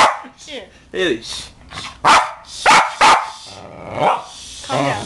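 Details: A Westie kept as a family dog reacts to Far's cover of "Pony". It gives a few loud, separate barks about half a second apart while a man talks soothingly over them.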